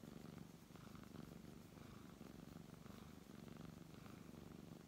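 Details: Brown tabby cat purring steadily while being stroked indoors, a low continuous rumble pulsing in quick regular beats with brief breath changes, plus soft rustling of fur.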